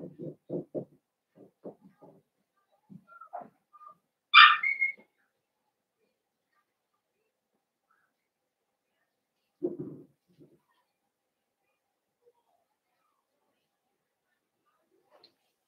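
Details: Blenheim Cavalier King Charles Spaniel puppies, a litter of five born at New Year's, in an indoor puppy pen at home; one sharp, high squealing yelp rises above low murmuring voices, followed by a brief soft low sound and quiet.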